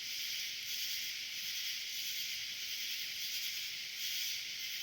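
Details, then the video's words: Nightly summer cicada swarm, a steady shrill hissing drone filling the high range, pulsing gently in loudness throughout. "Sounds of a Nightly Cicada Swarm in Summer"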